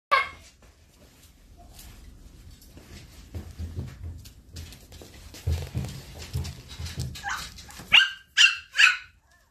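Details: Shiba Inu puppy weighing 2.1 kg, recorded 10/11; several seconds of low rumbling handling noise, then three sharp, high-pitched yelps in quick succession near the end.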